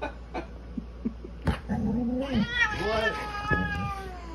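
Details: Orange polydactyl cat in a dramatic standoff with a golden retriever. It gives a rising, wavering caterwaul that swells into a harsh, strained wail, with a few thumps and scuffs before it.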